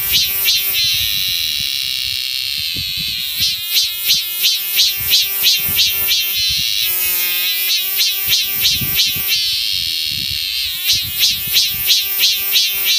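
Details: A cicada on the Mutianyu section of the Great Wall of China, north of Beijing, gives a loud, shrill buzz pulsing about three times a second.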